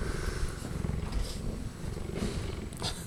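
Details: Cheetah purring: a steady, deep, rumbling purr with rapid low pulses throughout the short clip, with faint background rustling.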